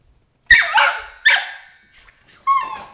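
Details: Female Border Collie puppy, 13 weeks old, protesting crate training indoors: three sharp harsh yelping screams in quick succession, then thinner whining tones trailing off.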